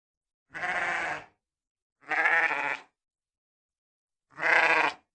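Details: Sheep bleating three times in about five seconds, each call a drawn-out, buzzy, vibrating baa under a second long, the last one slightly louder, with quiet gaps between.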